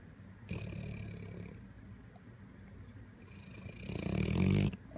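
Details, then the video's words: Grown pit bull snoring indoors, a low rumbling snore with a noisy airy hiss, building to a louder, harsher snort near the end. "Pit bull snores like a seal"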